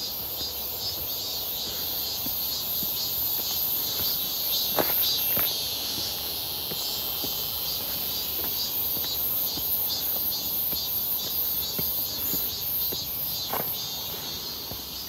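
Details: Midsummer cicada chorus near Seonbawi, recorded 1 August 2023 on a clear, hot day while walking: a thick, sizzling high drone runs without pause, layered with irregular steps and a few louder clicks.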